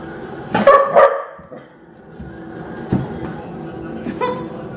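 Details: Female Rottweiler puppy indoors protesting dry kibble after eating canned food for a couple of days: two quick loud barks close together, then fainter yips and thumps with a low background hum.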